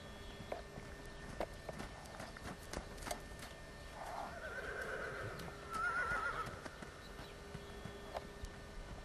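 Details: Appaloosa sport horse gelding JAS Benjamin, half Thoroughbred, foaled 2008, whinnies with a wavering mid-pitched call that builds over two seconds, amid steady hoof clip-clop and background hum.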